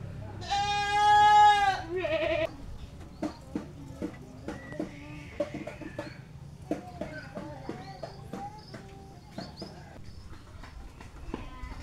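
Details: Goat kept in a pen whose feeding place and front were newly rebuilt; one long, quavering nasal bleat lasts about two seconds, then ends in a shorter wavering note, followed by scattered knocks and clatter over a low steady hum.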